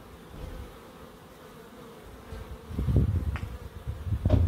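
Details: Bees in a small Crookes wildlife garden: a soft steady hum at first, then loud low rumbling bursts as something passes close, with uneven pulses over the last two seconds.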